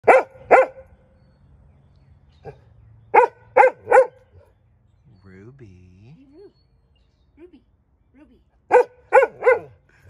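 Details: Golden Retriever on a deck barking after spotting an airplane in the sky; sharp, loud barks come in quick bursts of two or three, about eight in all, with a person's voice calling softly between the bursts.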